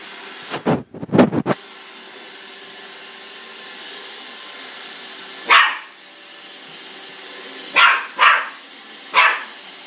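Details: A Jack Russell Terrier acting as guardian of a Roomba robot vacuum: a few muffled thumps early, then four sharp, short barks spaced a second or more apart over the constant droning hum of the vacuum.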